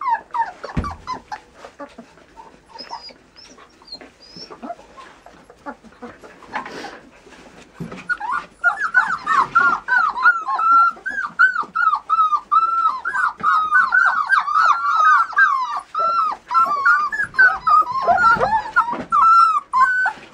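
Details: Border Collie starts with quiet, sparse whimpers, then breaks into a long, dense run of rapid, high arched whining yelps that continues to the end.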